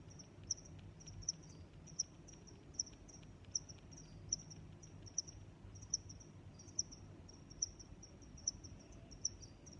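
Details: High, piercing cricket chirps recur evenly about every three-quarters of a second, with quieter overlapping chirps and steady low background noise.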